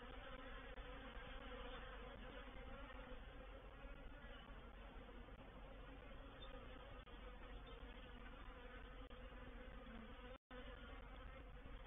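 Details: A reproductive honey bee swarm settling into a bait hive at Painted Peacock Manor, 04/07/21: a thick, constant buzzing roar, level and unchanging, briefly cut by a sharp dropout of silence near the end.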